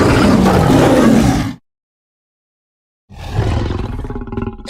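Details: Roaring lion: a loud, gravelly roar ending abruptly, a gap of silence of about one and a half seconds, then another rough roar with a growling, pulsing edge.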